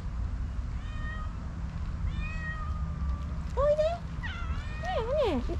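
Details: Stray kittens outdoors, a cream tabby male and a slightly older female from the same stray group: faint, thin, high meows at first, then louder, wavering, bending meows close by, over a low rumbling background.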